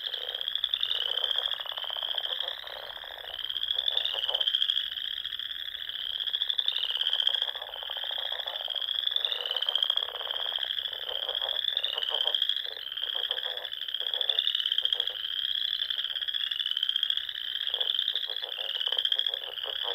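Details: Spring frog chorus at dusk from the Sandhills of Nebraska, where lakes and ponds dot the dunes: many callers trill in a steady high wash, with pulsed bursts rising and falling every couple of seconds and lower rattling notes beneath.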